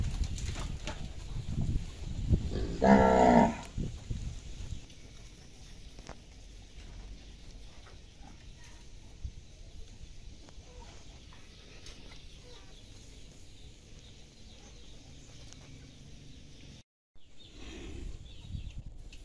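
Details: A cow gives one loud, drawn-out moo lasting about a second, then a long stretch of steady background hiss with faint low rumbles and no further calls.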